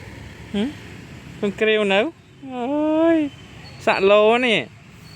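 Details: A friendly black and white stray cow cat in a neighbourhood gives several drawn-out meows, some bending down at the end, with a person speaking and faint vehicle noise nearby.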